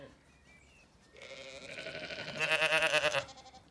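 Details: Zwartbles sheep, ewes with lambs, in an Irish orchard in County Kilkenny on a sunny day; one loud, strongly vibrating bleat swelling over about two seconds, faint bird whistles before it.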